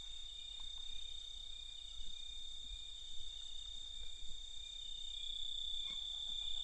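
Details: Crickets calling at night in a natural recording: steady, high, shrill ringing tones that never stop, with faint scattered clicks and soft pulses beneath, over a low background rumble.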